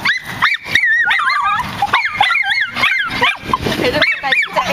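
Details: Several nine-month-old miniature schnauzers barking in a park: a dense run of high, sharp yips and barks that overlap one another almost without pause, some rising and falling in pitch like short whines.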